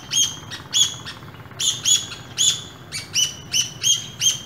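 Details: A pair of squirrels met on an early morning walk in an urban setting; sharp, high chirps repeated roughly twice a second, each a short bright note, over a low rumble of passing traffic.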